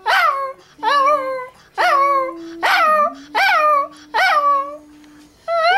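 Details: A female Toy Fox Terrier howls along as people sing Happy Birthday, short, bending, yodel-like bursts about one every second.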